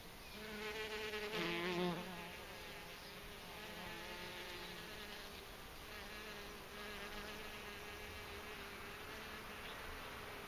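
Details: Bees being fed, giving a continuous droning buzz with wavering layered tones, loudest during the first two seconds, then settling into a steady, slightly fluctuating hum.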